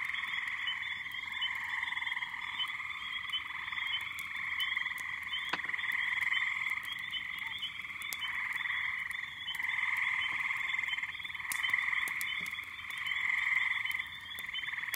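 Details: Countless frogs and small peepers in a May backyard pond chorus, a dense, steady trilling and peeping roar with subtle rises and falls in loudness.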